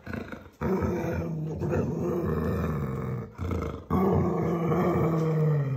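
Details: Hungarian Vizsla puppies playing with a new toy indoors; a loud, low rumbling growl with a rich harmonic tone, held in long stretches and broken by brief pauses near one and three and a half seconds.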